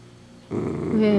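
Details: Dachshund growling while crunching on a handmade treat; a sudden low rumbling growl starts midway, turning louder with a brief whiny tonal edge near the end, and a word is spoken just after.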